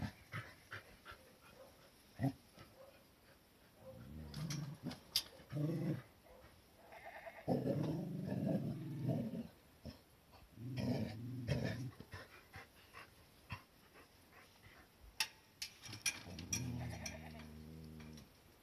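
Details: Cardigan Welsh Corgi filmed on 11 January 2021 at home, around a small garden dog run, makes low grumbling growl-like bursts in several spells, ending with a longer harmonic moaning call, amid scattered clicks and handling noises.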